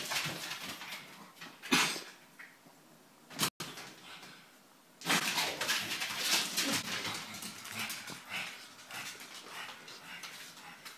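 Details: Indoor pet pug reacting as though a new friend has appeared: scattered whines and a few short barks, irregular and uneven in spacing, with household rustling and a sharp click near the middle.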